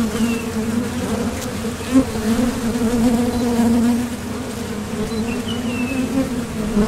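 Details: Steady drone of honeybees coming and going at a Top Bar Hive entrance while foraging for nectar, the hum produced by their thoracic muscles; low continuous buzz with wavering pitch as single bees fly near, a few distant bird notes.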